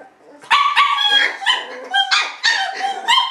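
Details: Young Shiba Inu pups give drawn-out, wavering whines broken into about six rising and falling cries, clear and tonal, some bending upward before trailing off, with no other sounds competing.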